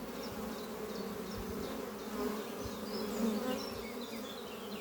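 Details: Honey bees flying around their hive beneath trees on a spring morning; a full droning buzz that swells slightly midway, with scattered bird chirps and twitters above.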